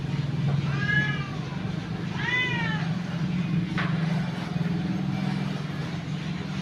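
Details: Two clear, plaintive meows about a second apart from an orphaned cat outside the house, with a loud steady low hum like traffic or an engine underneath and a brief click afterward.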